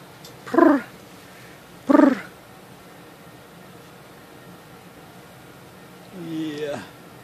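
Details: Short meows from a house cat in a room where kittens nap beside an old cat: two brief, bright mews about a second and a half apart, then a softer drawn-out yawn-like sound, with quiet room noise.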